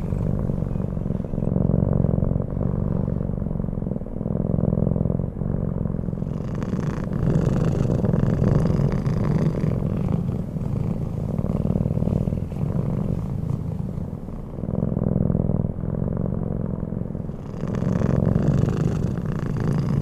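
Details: Pebble, a Bengal cat sleeping peacefully, purring in a steady low rumble that swells and fades with each breath, close and continuous for the whole stretch, with soft rustling bursts at times.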